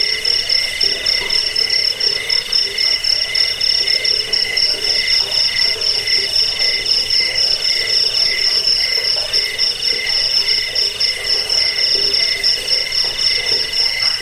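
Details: Chorus of crickets used to scare rats away, help sleep and teach birds: shrill, fast-pulsing chirps running continuously at high pitch, a second trill beneath, and a faint lower pulsing background.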